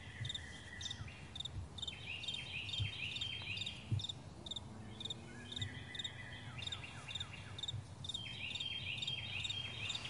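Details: Crickets calling across a wide meadow at morning, rapid high chirp pulses running throughout, joined by birds with rising, sweeping whistled phrases and a few soft low thumps.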